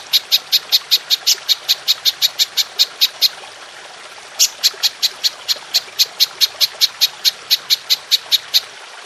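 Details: Long-shooting call of a golden grasshopper used to train songbirds: evenly spaced sharp high ticks about four per second, a one-second pause midway, then the ticking resumes at the same pace; clean background.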